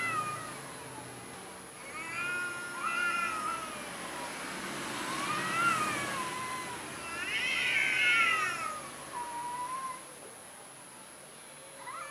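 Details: Cowardly orange cat meowing repeatedly: a series of four or five wavering, whiny meows of varying length, some arching up and falling, one longer and louder near the middle, over a quiet hissy background.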